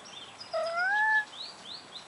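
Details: Leashed male Siamese cat Simba facing another cat, Leo: a single rising, drawn-out meow under a second long, followed by a couple of light bird chirps.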